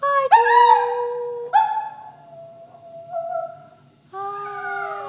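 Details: Toy poodle singing: long sustained howled tones, a bright held note, then a lower steady tone sliding slightly upward, and a final wavering note with a faint high whine in the background.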